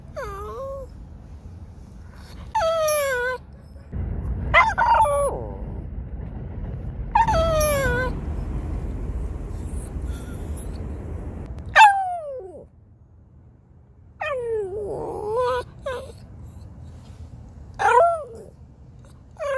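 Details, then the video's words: Shih Tzu in New York giving high, falling whimpers and yelping whines in separate bursts, some long and wavering, with quiet stretches and a low hum between them. "Shih Tzu Barking Noises"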